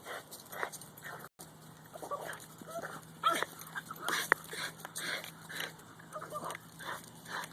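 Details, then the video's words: A female Boston Terrier chasing a goose at a park gives odd chattering yips and squeaky, monkey-like whines; she never barks and only makes these sounds. "Boston Terrier making monkey noise"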